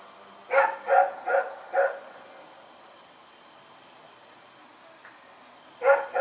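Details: Rex, a dog loose and running about in the night, 21 September 2018: four rapid barks in a row, a long silent stretch, then two more barks closing out.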